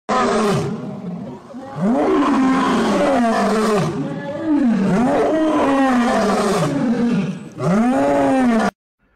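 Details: A wild lion in Kerala roars in a run of long, throaty, deep moans, each rising in pitch and then sinking over a second or two, back to back with brief breaths between them.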